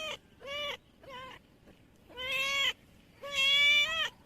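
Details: Domestic cat meowing after being asked where its kittens are; five loud, harmonic meows of varying length, each steady then slightly falling, the last two longest, separated by short pauses.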